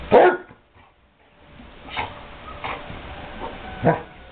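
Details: Basset hound barking during play at a kennel: one loud, sharp bark, then a pause and three shorter, quieter barks spaced about a second apart against a faint background hum.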